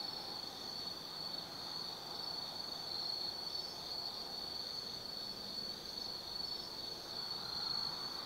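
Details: Autumn night insects at the Tsukimi no Mori lookout in Kaizu, Gifu, Japan: a thin high continuous trill, fainter here, under a broad background hiss.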